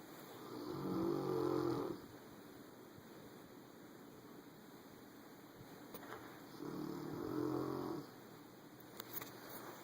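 A Rottweiler snores in deep, rattling breaths, two long rumbling snores about six seconds apart. Between them the room is quiet apart from a faint steady hiss.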